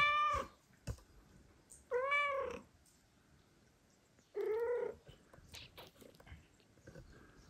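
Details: Domestic cat in a home where the mother cat refuses to feed two foster kittens and the father cat comes to help; three loud, clear meows, each about half a second, with bent harmonic bands and faint rustling between.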